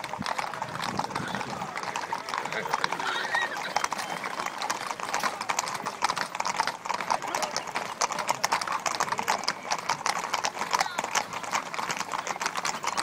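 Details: More than 80 horses ridden together at the Ermita de la Aurora gathering in Villanueva de la Serena, Spain: a continuous wash of clattering hoofbeats with people talking throughout.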